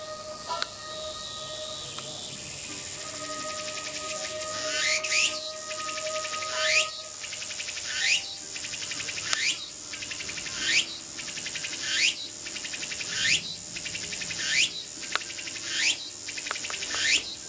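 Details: Tsukutsukuboshi cicada singing in the countryside, its call locally rendered as "oshin-tsukutsuku, takabeccho": after a quiet start, loud high rasping phrases with sharp downward sweeps repeat about every 1.3 seconds, with faint steady tones underneath.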